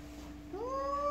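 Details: After a short pause over a steady hum, a jealous pet cat starts a rising meow that climbs and then holds, loud and tonal, near the end.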